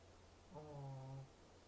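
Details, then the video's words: Shih Tzu, a brachycephalic dog breed with a broad short skull, short snout and short breathing passage, snoring: one low, droning, voiced breath lasting under a second, steady in pitch with rich overtones, against a faint background hum. "Why Shih Tzu snoring"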